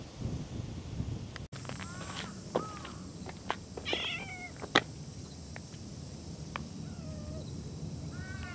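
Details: Cat giving several short, bending meows, some rising then dropping, mixed with scattered clicks, taps and thumps, and a sharp knock midway, over low background noise.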